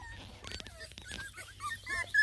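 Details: Bluetick beagle puppies whining what sounds like a sad song: thin, high, wavering whimpers that rise and fall, becoming louder and more frequent toward the end, after a stretch of soft broadband rustling.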